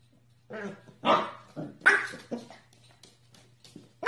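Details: A corgi barking in a small indoor room, a series of short sharp barks about every half second, some with a growly edge, then a pause and one more bark at the end.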